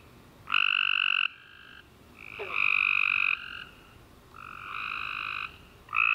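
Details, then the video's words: Tree frogs singing at night after a rainy summer day, loud buzzy harmonic trills lasting about a second each, alternating between nearby and slightly fainter callers, with a quick descending chirp between them. "Tree Frog Chorus After A Warm Rainy Day"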